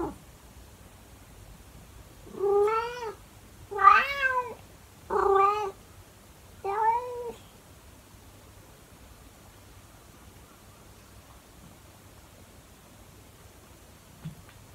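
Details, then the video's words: Monkey, a calico cat, meowing in the early morning indoors: four harmonic, slightly wavering meows between about 2.5 and 7.5 seconds, the second loudest, followed by a quiet room for the rest of the clip. "CAT SINGING in the early morning"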